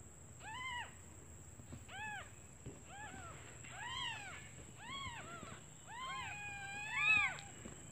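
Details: Hungry newborn kittens calling their absent mother, who has gone out to find food; a string of thin arched mews, several overlapping, one louder squeal near the end, steady high whine in the background.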